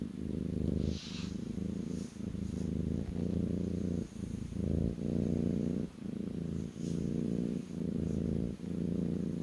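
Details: Purring kitten lying on its owner's lap: a steady, deep rumbling hum that pulses with each breath, short gaps between strokes roughly every second, with a faint rustle near the start.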